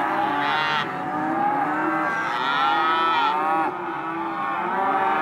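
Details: Hereford and white-faced (Careta) calves, male and female, at a livestock auction lot, calling continuously: overlapping drawn-out moos with rich harmonic bands, several animals bawling at once, steady loud chorus throughout.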